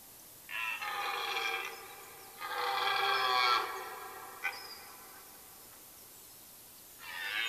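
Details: Red deer stag roaring during the rut in a forest in Mecklenburg-Vorpommern, Germany, late September 1996–97. It gives three hoarse, harmonic roars of about one second each, separated by pauses, over a quiet background with faint bird notes.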